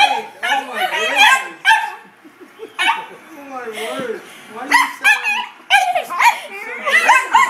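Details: Pair of dachshunds, a red one and a black-and-white piebald, unsettled by a new golf club, give sharp high yapping barks at the start and end, with a person's voice talking in the quieter middle stretch.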